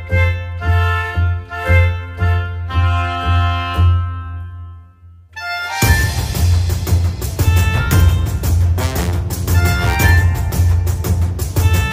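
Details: Orchestral music with pulsing timpani and brass, dropping briefly near the middle, then swelling louder and fuller.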